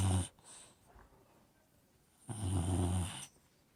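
Low, rattling snores come from an Old English Bulldog, each breath a heavy, throaty rumble lasting about a second. A long hush falls between the two snores.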